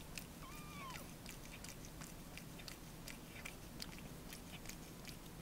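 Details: Three-week-old male Ragdoll kitten, blue point bicolour, as its mother licks up its urine; one thin rising-then-falling mew near the start, then only steady licking clicks over a low purring rumble.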